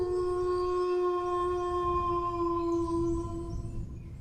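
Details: Dog howling: one long, steady, tonal note with rich overtones, held for about four seconds with a slight waver before fading out, over a constant low rumbling background.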